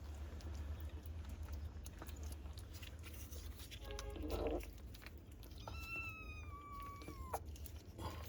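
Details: Kitten, one of three sheltering indoors on a rainy day, utters a long, slightly falling meow late in the recording after a short nasal squeak, over steady low indoor rumble and faint clicks.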